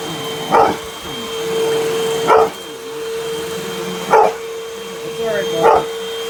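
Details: Pup going after a vacuum cleaner, letting out four single, clipped barks spaced nearly two seconds apart as the vacuum's constant whine and rumble fill the gaps.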